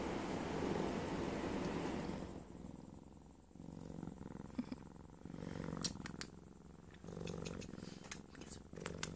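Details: Cheetah cub lying in bed while getting kisses, purring with a steady low rumbling pulse that swells and fades with each breath, loud at first and then softer, with small rustling clicks.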